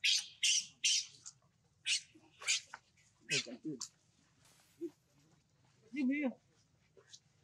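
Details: Baby monkey named Leo, left on the ground by his mother, crying and jumping: sharp high-pitched screeching bursts in quick irregular succession, then a wavering harmonic wail near six seconds, with faint voices and a low background hum.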